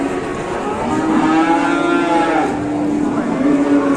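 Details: Large cattle lowing at an Indonesian livestock market, a drawn-out moo rising in the middle and trailing off, with a second lower moo near the end and crowd noise throughout.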